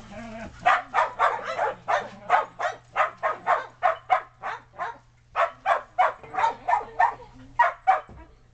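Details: Shetland Sheepdogs romping in the snow between yard and deck, with puppies on the deck, barking excitedly: a rapid run of sharp barks, about three per second, with a short pause midway and a faint steady hum underneath.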